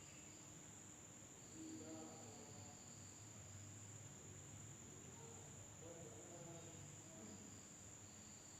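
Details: Indonesian village at night, insects sounding: an unbroken thin high drone with intermittent short trilled chirps and faint low rumbling underneath.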